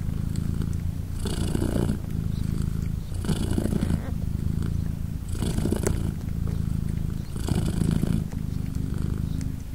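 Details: British Shorthair mother cat Polina, nursing three newborn kittens aged three days, gives an unbroken low rumbling purr that rises in louder breathy bursts roughly every two seconds, with no other calls.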